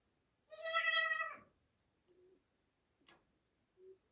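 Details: Newborn goat kid with one loud, quavering high bleat lasting under a second, followed by soft short squeaks and a sharp click amid quiet surroundings.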